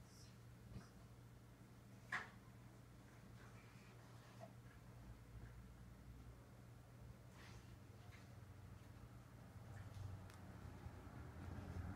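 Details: Only quiet indoor room hum with a single soft knock and faint rustles, no animal voices.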